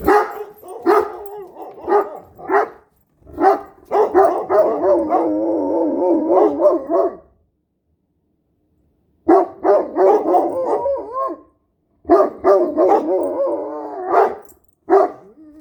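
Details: Domestic dogs, a Great Dane and a Standard Poodle, making howls and weird noises: short yelping bursts, then a long wavering howl near four seconds, followed by further choppy rising-and-falling vocal bursts separated by silent gaps.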